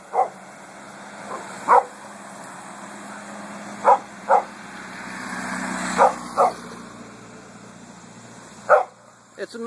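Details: Coffey the dog barking at passing cars and trucks while out on a walk in a cemetery on a hot August day: short sharp barks, mostly in pairs, spread over the clip, with traffic rumble and a man talking to the dog.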